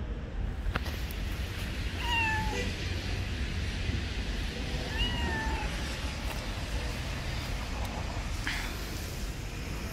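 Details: Street cat hiding beneath trees to keep out of the rain, meowing twice about three seconds apart, each call a falling, slightly drawn-out tone, against a constant low background rumble.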